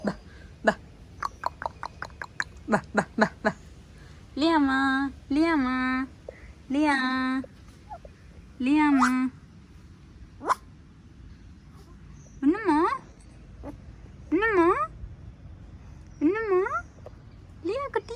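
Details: Pomeranian puppy giving a run of drawn-out, arching whining yelps in two bursts, each cry rising then falling with a rich harmonic tone, roughly one every second or so; soft taps and clicks come before the first burst.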